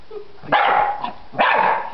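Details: Two loud, rough barks from a dog named Freddy, barking at a butterfly in a yard near a workshop, spaced about a second apart with a quiet pause between.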